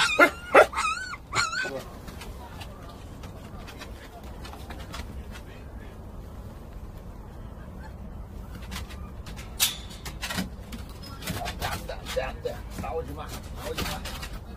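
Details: Jindo puppies, about a month old, give a quick burst of high, whiny yips, then quieter scattered whimpers with people talking.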